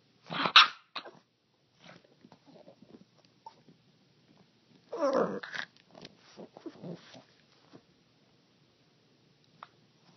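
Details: A dog's strange noises indoors: a sharp loud bark-like yelp near the start, then scattered soft huffs and a rough growling, grumbling burst in the middle, trailing into quiet snuffles in a small room.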